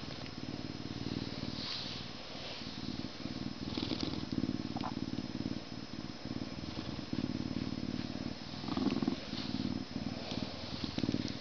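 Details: Humanized but not domesticated male Canada lynx, born at a zoo in May 2011, purring during a scratching session before eating; continuous deep throbbing purr with brief pauses, plus faint rustling and handling noises.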